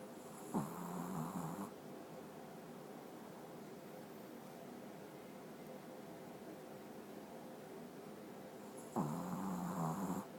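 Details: A sleeping Pekingese snores very loudly in long, rattling, low-pitched breaths, with quiet pauses between them.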